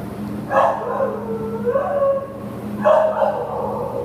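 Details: American Pit Bull Terrier available for adoption, recorded 15 September 2015: two loud, harsh barks about two seconds apart, each trailing into a drawn-out tonal whine, over a steady low mechanical hum.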